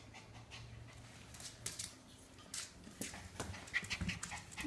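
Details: Shiba Inu named Maru spinning round and round while chasing its own tail indoors; quick breathy panting puffs come in uneven bursts, growing louder and denser toward the end, with soft thumps of movement underneath.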